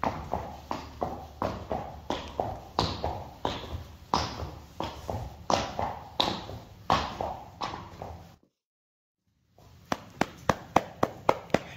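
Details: Friesian horse hooves striking a hard surface in a steady clip-clop, sharp knocks about three per second, briefly cut to silence near the end before the beats resume, at a stable with 25 Friesian horses.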